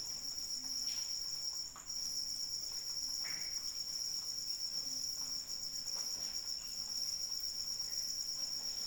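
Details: Continuous high, ringing cricket trill during rainfall, briefly dipping near the two-second mark before resuming at full strength, with light rain pattering and occasional drops in the background.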